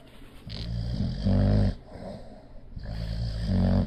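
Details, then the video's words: Bulldog named Leo, asleep, snoring: deep, rough, low rumbling snores swell loudly twice, at mid-clip and near the end, with softer wheezy breathing and snuffles in between. "My Bulldog Leo snoring."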